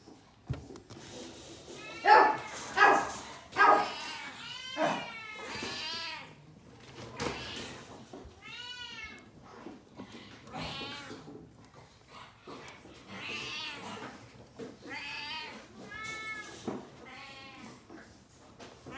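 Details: Japanese Chin newborns from a black litter of five born February 15 give repeated high, wavering cries and squeaks, some rising then falling, in clusters every second or two, with softer whimpers between and a quiet indoor background.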